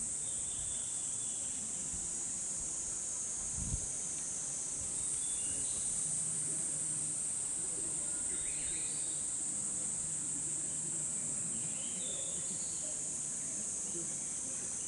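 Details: Summer cicada chorus in the bamboo grove of Hokokuji temple, Kamakura, Japan, looped from a cut recording: a steady, very high shrill hiss fills the whole clip, with faint higher chirps over it and a low thump near four seconds.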